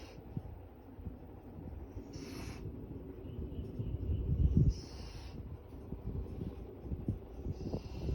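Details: Golden Retriever. A golden retriever snores in deep, raspy rumbles that swell and fade with each breath. Faint hissing bursts come and go in the background.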